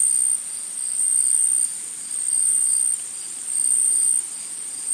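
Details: Insects in a forest: a steady high-pitched shrill drone near the top of the range, swelling and fading in long pulses roughly every one to one and a half seconds, with no other clear sounds.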